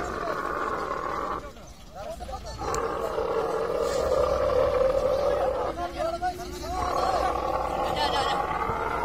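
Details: Camel during mating, giving a long, rough, gurgling roar that runs for several seconds, breaks off briefly for breath, then resumes with a steady rattling pulse.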